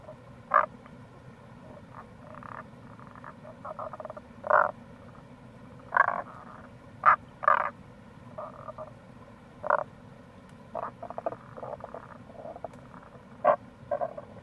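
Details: Several Tago's brown frogs (Rana tagoi) calling near a gorge by the Kamo River in Itoshima, Fukuoka, Japan, in April: short rough croaks scattered irregularly, roughly one to two seconds apart, mixed with softer pulsed trains over constant low rushing noise.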